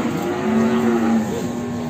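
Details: Jumbo Simmental cattle at Sragen livestock market, Indonesia: a sustained low moo holding steady with a slight dip and rise over two seconds, over a background of crowd murmur.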